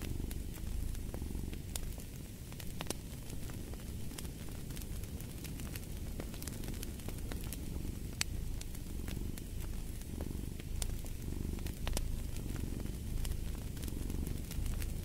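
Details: Low purring of a cat, even and rhythmic with gentle swells on each breath, accompanied by frequent crackling and popping of a burning fire.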